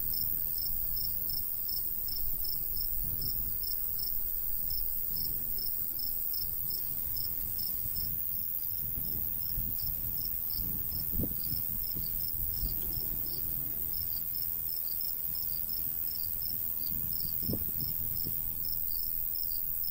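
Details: Crickets of a summer countryside wheat field, light breeze: a long, steady run of high repeated chirps, several per second, with gusts of low wind noise swelling in the middle and a thin high insect hum.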